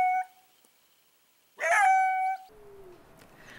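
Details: A coyote, played for comparison with the red wolf's call, gives brief, clear howls with a harsh, yelping start that settles into a held tone, then a final lower note that slides down and fades; faint hiss between calls.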